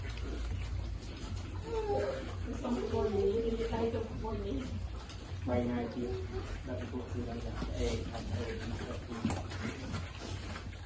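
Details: Baby piglet waiting to eat while being fed, giving a run of wavering, mid-pitched squeals over about ten seconds, some drawn out and sliding, with low background rumble and scattered knocking noises.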